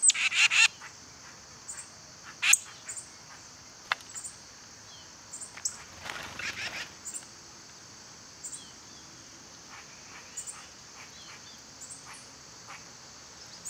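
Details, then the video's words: Cicadas in summer give a steady, high buzzing drone that runs unbroken through the whole recording, under sharp bird chirps and a short cluster of clicks near the start and middle. "Cicada sounds"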